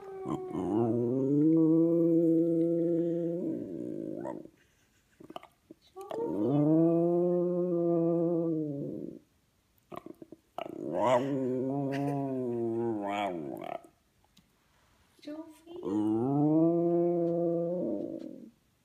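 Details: Five-year-old West Highland White Terrier howling for his best friends, warming up first: four long, steady, harmonic howls of about three to four seconds each, separated by short pauses with brief yips between them.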